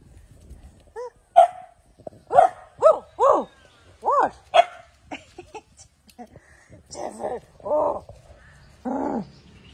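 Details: Puppies cared for at home: a series of short whining yelps with arched, bending pitch, about ten cries in ten seconds, some rougher and lower toward the end, with faint speech in the background.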